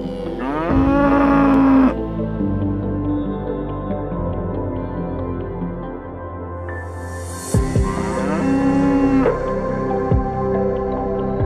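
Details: Farm cow mooing: two drawn-out, droning moos a few seconds apart over steady background music.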